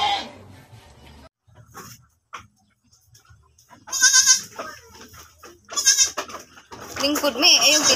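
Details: Domestic goat that has just given birth again, on a farm: two loud, quavering bleats rich in harmonics around the middle of the recording, with people talking and background noise between them.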